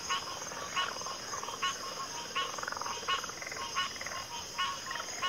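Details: Frog croaks in a backwater, short raspy pulsed calls repeated roughly every three quarters of a second by several callers, with a steady high insect buzz.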